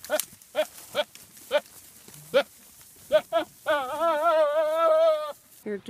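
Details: A goat from a funny goat compilation lets out scattered short bleats, then one long, shaky, quavering bleat lasting over a second, followed by a few brief calls.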